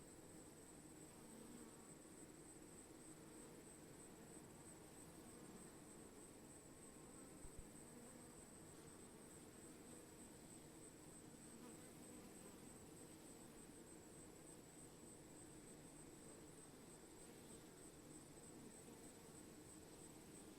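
A honey bee swarm gives a dense, steady low buzz that hums on without a break.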